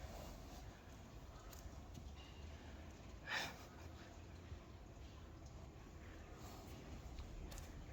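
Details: Friesian horse getting new shoes, one of a stable of 25 Friesians. A single short, breathy, noisy snort bursts out near the middle, set against a steady low background hum with faint scattered knocks.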